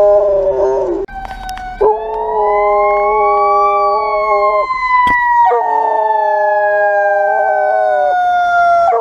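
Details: Dutch Shepherd; howl; responding to a passing siren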